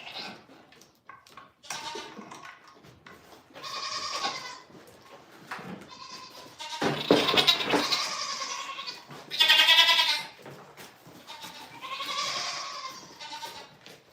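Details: Goats on a small farm bleating repeatedly, several harmonic, wavering bleats of varying length and loudness, some long and strained, with short gaps between calls and faint background noise.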